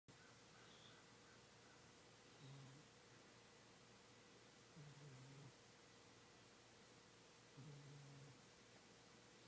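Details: Kitty, an old fat male cat, sleeping soundly and dreaming while snoring: three low, rough, droning snores, each about half a second long, come roughly every two and a half seconds over a steady quiet indoor hum.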